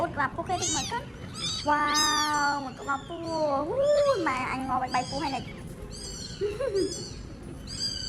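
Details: Homeless kittens crying in drawn-out, quavering meows, some long and level, others bending up and down, repeated in quick succession while a person speaks nearby.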